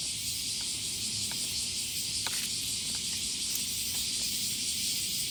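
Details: Massed cicadas in full summer chorus at morning, on days when even the minimum temperature tops 25 °C. An unbroken high-pitched sizzling drone runs steadily, with scattered light clicks and a sharper tap near the middle.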